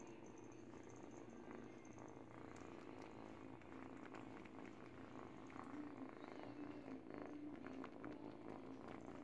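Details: Teething kitten, eight weeks old, gnawing a baby blanket and purring: an even, low vibrating purr throughout, with faint chewing ticks and rustles, plus a soft high tone in the background.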